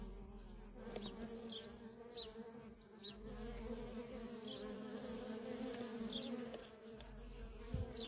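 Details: Worker honey bees in nonstop traffic at a feral colony: a steady, layered droning hum with bands low and mid, plus brief faint high chirps scattered through; a low rumble lies beneath.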